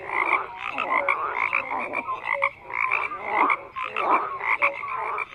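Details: Overlapping frog croaks come in rhythmic bursts about every half second, with raspy mid-pitched pulses, sharper high chirps and a few short tonal notes riding on the chorus.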